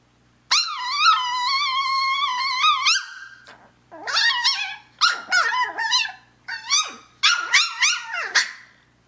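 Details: Talkative pet Chihuahua indoors asking her sister to play, with a high-pitched voice: a long, wavering whine, then a run of short, rising and falling yelps and whimpers in quick bursts.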